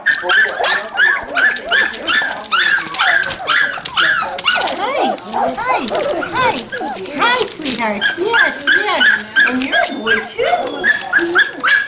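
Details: Three- and five-week-old Standard Poodle puppies near Columbia Falls, Montana, in November 2013. Many pups whine and squeal in dense, overlapping, high-pitched cries, mixed with affectionate human chatter.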